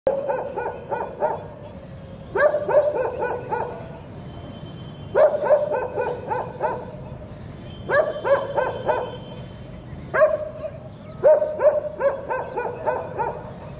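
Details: Labrador Retriever barking in short bursts: clusters of three to four sharp, tonal barks repeated roughly every two to three seconds, with a faint steady hum beneath.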